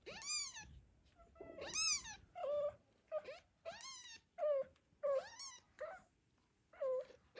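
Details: Zlata, a mother cat in the weeks after birth, worries about her kitten's safety while Joanna and Ginger show interest. She carries it in her teeth to a corner behind the cat house. Rapid, insistent meows, some falling with a strained, wavering end.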